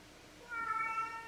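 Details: Male pet cat talking back when spoken to indoors: one drawn-out, steady, tonal meow lasting nearly a second, faint and clear against quiet room noise.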